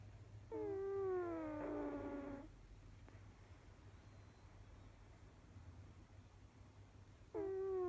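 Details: Kojiro, a cat, snores with a long, buzzy, descending whistle of about two seconds. A long quiet gap follows before the next breath-tone begins at the very end, all over a low background hum.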